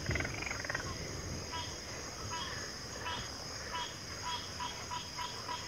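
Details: Frogs calling in a backwater chorus: faint, overlapping pulsed croaks repeat at short intervals under a steady high-pitched drone that runs through the whole recording.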